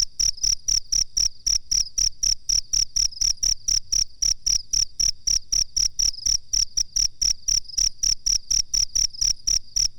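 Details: High, metallic cricket chirps intended as a master sound for songbirds, repeated rapidly and steadily about four times a second for ten seconds, each pulse clear and sharp, no other noise.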